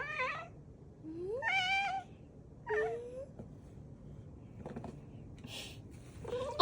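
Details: Domestic cat likened to a peeping chick meows repeatedly: quick rising and falling cries, one sliding steadily upward. Later come rustling, handling noises and a final sharp meow.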